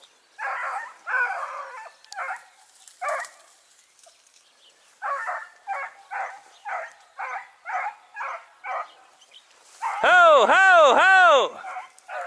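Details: Dachshunds on a driven fox hunt in Victoria, 23 October 2022: a run of rough, mid-pitched barks in uneven bursts, some quick doubles. It ends with a man's loud, laughing 'ho ho ho' outdoors.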